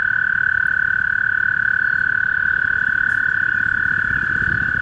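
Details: A male toad calling in spring holds a single unbroken, rapid, high trill. It buzzes steadily at one pitch with very little change, over a quiet outdoor background.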